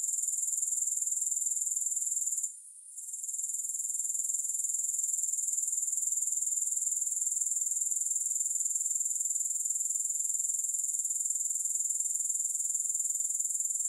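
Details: Steady, shrill pulsed buzzing from grasshoppers, about four beats per second, dropping out for roughly a second early on and then continuing unbroken; recorded for sleep and relaxation, no music.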